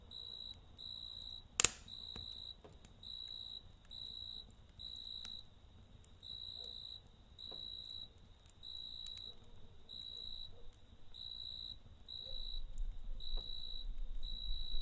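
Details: A cricket chirps at night close to a campfire, producing regular half-second bursts of a thin, high trill about every second, with one sharp fire crack and faint low crackling.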